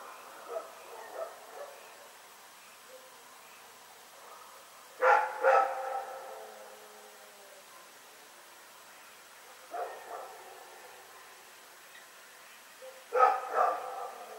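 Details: Rex barks through the night in Pyrga, recorded February 27, 2018: soft distant yaps first, then paired loud barks about every four seconds, each couplet a quick one-two, with silence between.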